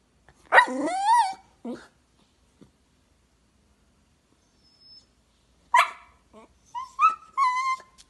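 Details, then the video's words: Jack Russell Terrier giving a long, sliding whine-bark and a short yap, then a pause, then sharp barks and high, wavering whimpers near the end; quiet otherwise. "jack russell"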